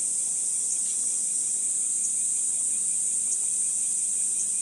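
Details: Morning cicadas in Gifu Prefecture Hyakunen Park, Japan, on 23 July 2026 at 37°C; a clean, steady, very high hissing drone held throughout, with faint brief ticks and little other background.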